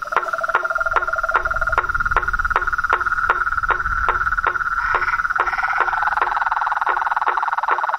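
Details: Chorus of frogs, toads and treefrogs out in nature, a continuous high pulsed trill overlaid with evenly spaced loud clicks about every 0.4 seconds, with a lower rattling voice early on.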